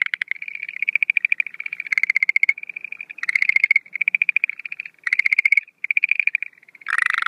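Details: Night calling of Schlegel's green tree frogs as breeding begins, 17 April 2013, no females present; short rattling trills repeat every second or so, alternating softer and louder harsher bursts, ending in a rough, lower call.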